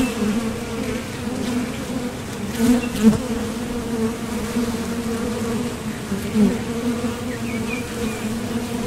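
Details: Honeybees flying in and out of a Top Bar Hive entrance while foraging for nectar: a steady droning hum with a strong low tone and an overtone above, swelling briefly as individual bees pass close near the three- and six-second marks.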